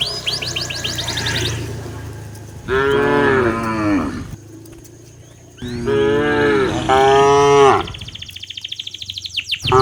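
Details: Cows walking back to their pen in the afternoon, driven by a herder through a quiet village: long, low moos, each sustained over a second with wavering pitch, two closely paired in the middle, with bird chirps at the start and end.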